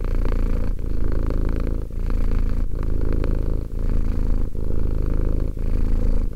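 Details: Romek, a cat aged two, purrs in a continuous low vibrating drone, broken by short breath gaps roughly every second, the rhythm even and unhurried.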